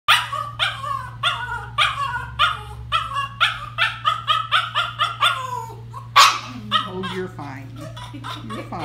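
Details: Norwich Terrier complaining while being hand-stripped during grooming; a steady run of short yowling grumbles about every half second, each bending downward, with a low electrical hum and a person speaking briefly near the end.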